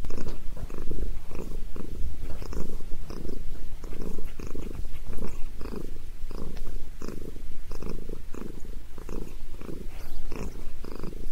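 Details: Head massage for Sabrina the cat brings a steady deep purr, its low throbbing pulses repeating roughly twice a second throughout, over soft rubbing noises.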